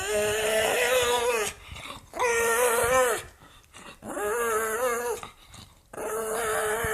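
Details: An angry pug vocalising in long, drawn-out, harmonic moans, four sustained rumbling-whiny notes each lasting about a second, separated by short quiet gaps.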